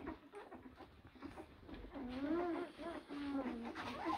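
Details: Blue Great Dane puppies from litters born in April 2023 give high, wavering whines that bend up and down in pitch, clustered in the second half, with human voices talking underneath.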